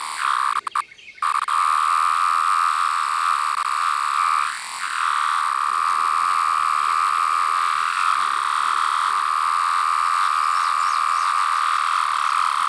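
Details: One large 17-year cicada of a yellow-brown-striped variant, recorded at close range. A brief rustling gap opens before an unbroken, even, high whine that sags once and then drones steadily on to the end.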